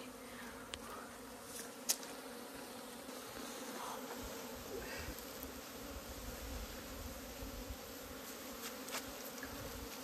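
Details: Honey bees swarm around a village hive in Nepal during a honey harvest, the beekeeper saying they know her; a dense, continuous drone with layered tonal bands, occasional clicks and knocks from handling.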